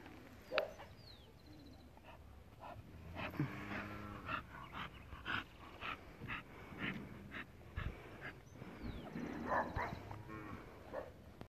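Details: American Bully at a kennel in Colombia, giving a series of short whimpers and yips, some with a tonal whining edge, spaced irregularly over several seconds, with people talking and moving nearby.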